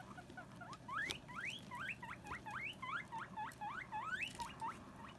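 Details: Female guinea pigs Sylvie and Jenny bicker over a hammock that Sylvie wants to join; a rapid run of upward-sweeping squeals, several each second, rises and falls in loudness throughout.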